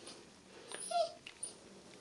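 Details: A 6-week-old Alaskan Malamute puppy gives a brief, thin whimper that rises and falls in under a second during its first bath.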